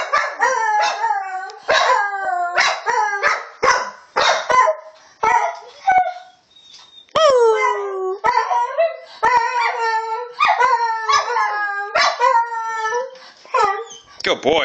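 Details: Dog giving repeated howls and yelping cries, each rising then sliding down, in bursts separated by short pauses, including a near-silent gap around the middle, with clicks and thumps between calls.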